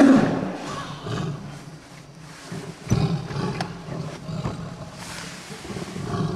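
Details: Wild tiger in Kanha National Park, India, November 2007, filmed from a moving jeep: a loud, harsh roar bursts out at the start, then lower rumbling growls continue, with people talking quietly nearby.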